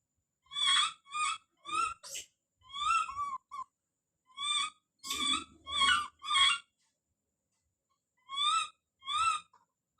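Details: Repeated high, harmonic screams from baby monkey Don calling out. Some cries bend upward and come in quick clusters of two or three, then a pause before two final calls.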